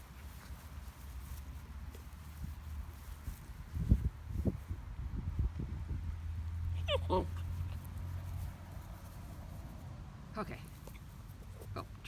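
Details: Mikey, a seven-week-old Harlequin Great Dane puppy, playing with his Jolly Balls and a rope toy indoors; two short, high whiny whimpers a few seconds apart over low thumps and rustling of play.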